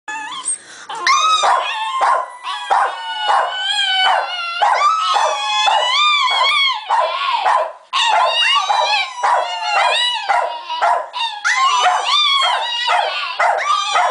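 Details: A female Italian Greyhound, described as an attention-seeking diva, gives a long, dramatic run of high whines, yips and wavering howl-like cries.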